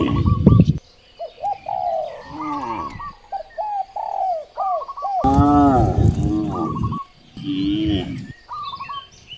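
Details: One strong, deep moo from a hungry village cow near rice fields stands out midway, surrounded by many repeated chirps and coos of birds.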